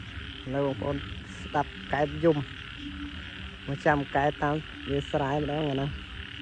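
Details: Nighttime frog chorus following heavy rain: clusters of harsh, pulsed croaks, some doubled in quick pairs, spread irregularly across six seconds. A constant high droning hum runs beneath them.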